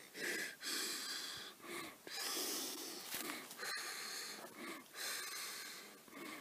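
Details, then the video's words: Black wallaroo about 150 metres away near a campfire, flighty animal filmed on an iPad; breathy, wheezing bursts roughly every one to two seconds, each about a second long, with faint low murmurs between. "Black Wallaroo - Calls The Mountain Home"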